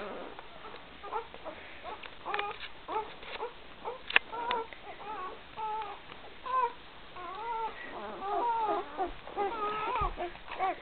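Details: Litter of Great Dane puppies three days old, from Gracie and Newman, 2012, indoors; many short whining squeals and whimpers overlap, some rising then falling, with faint clicks and rustling between them.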